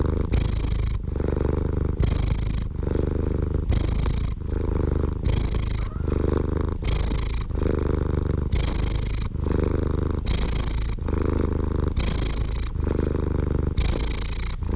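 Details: Steady cat purr, deep and vibrating, with brisker alternation between hissy and muffled phases roughly once a second over the whole stretch.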